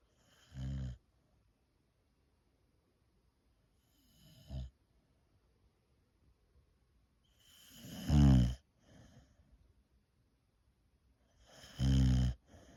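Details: A female Boxer dog snores in deep, rumbling bursts spaced several seconds apart.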